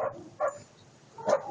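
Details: Two brief, clipped woofs from an eight-month-old German Shepherd puppy named Attila ot Salmoxis, nearly a second apart, over a quiet, hissy background.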